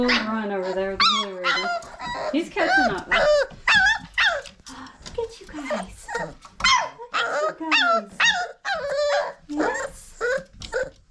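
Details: Five-week-old Old Family Red Nose Pit Bull puppies, a litter from Abby and Ragnar, give high, squeaky whimpers and yelps about twice a second, each arching up and down, while a person talks softly to them indoors.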